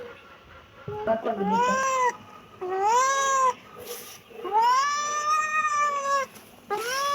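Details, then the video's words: Kitten meowing insistently indoors, four or five loud, arching meows in quick succession, the longest drawn out for nearly two seconds. "kitten meowing"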